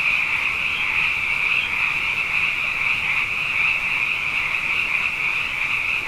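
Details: Night chorus of numerous frogs in Hawaii, abundant after two wet years running, heard as a constant wall of high, trilling croaks blending together without a break.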